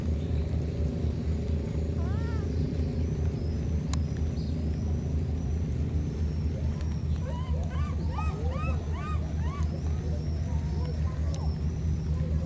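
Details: Baby monkeys, two of them separated by a flood, calling each other. A couple of arched cries come early, then a rapid burst of rising, bent cries around eight to ten seconds, all over a steady deep roar of rushing noise.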